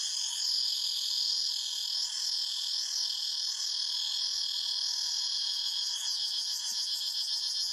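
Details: Unbroken, piercing buzz of cicadas in the forest, layered high tones shimmering and wavering in a rolling pattern, with a slight swell early on, steady to the end.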